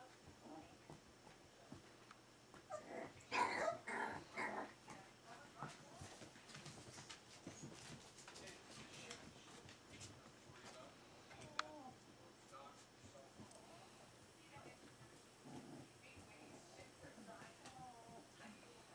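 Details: Four-week-old smooth-faced Pyrenean Shepherd puppies indoors; a burst of high, thin whimpers and squeals near the start, then softer scattered whines among rustling and handling noise, with faint human voices.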